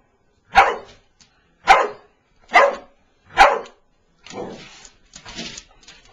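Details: A Boston Terrier taking on a mouse gives four sharp, evenly spaced barks, then softer, rougher huffing sounds.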